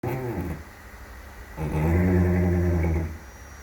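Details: Sleeping young horse aged one year three months snoring indoors: a short low rumbling breath, then a louder, longer droning snore of about one and a half seconds with a deep buzzy growl-like tone.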